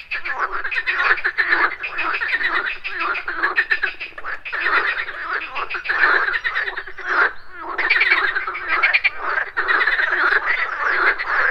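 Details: Frogs croaking at a pond in the morning form a near continuous, dense rattling chorus of overlapping pulsed calls with only brief dips in loudness.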